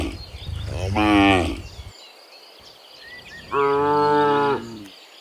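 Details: ['In the afternoon, a herd of dozens of cows returns from the fields to the pen, and two strong moos of about a second each sound close by, with faint bird calls between.']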